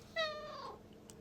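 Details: A cute cat gives one clear, tonal meow that starts high and slides steadily downward over about half a second, then stops, leaving a quiet room.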